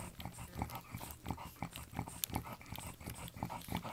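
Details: French Bulldog newborns from Anais and Hobbit's October 29, 2011 litter produce a steady patter of brief nasal grunts and squeaks, about three each second, with irregular spacing.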